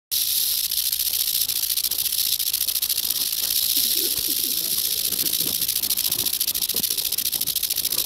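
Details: An eastern diamondback rattlesnake rattles in Georgia in 2015, a loud, continuous high hiss-like buzz sustained through the whole recording without a break.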